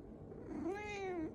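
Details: Pet cat, annoyed that it cannot hop onto its owner's lap, lets out a single short complaining meow that rises and then drops, indoors.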